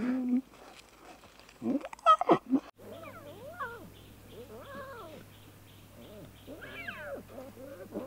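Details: Playful young lion cubs in the wild: after a brief loud scuffle, a series of arched, wavering mews rises and falls in pitch, several overlapping, with a steady low hum underneath.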